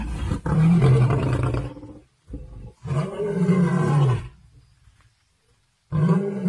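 Lions roar and snarl in deep, rasping bursts during a fight.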